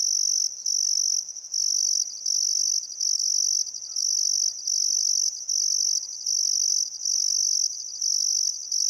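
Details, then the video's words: On a still summer afternoon at sunset along the Barcoo River, Welford National Park, Outback Queensland, Australia, crickets keep up an intense high trill in bursts of one to two seconds, with short quiet breaks. "Australian Sunset Chirping Crickets"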